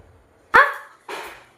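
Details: Female pet husky barking while begging for jackfruit held back by its owner: two sharp, loud barks about half a second apart, the first bright and harmonic, the second slightly softer, in a quiet room.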